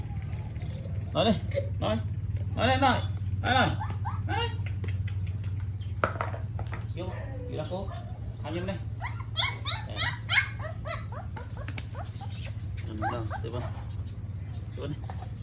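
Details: Morning milk feed for a group of puppies in Siem Reap, Cambodia: bursts of squeaky, wavering whines and short yelps come in quick clusters, mixed with human voices and a constant low mechanical drone.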